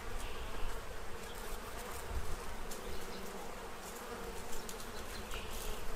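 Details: Bees gathered at a feeding tray in Central Illinois, stocking up for winter; an even, low-pitched drone with faint intermittent ticks.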